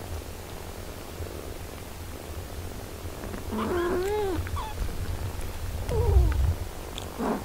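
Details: Mother cat nursing and caring for her eight-day-old kittens, all in good health; a steady low purring rumble runs throughout, then around the midpoint a cluster of thin, arching mews rises and falls, with a few shorter mews after.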